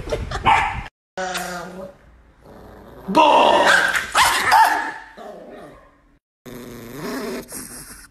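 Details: Nikki, an angry pet Chihuahua, barks and snarls in loud rough bursts, then a lower growl, with people speaking nearby.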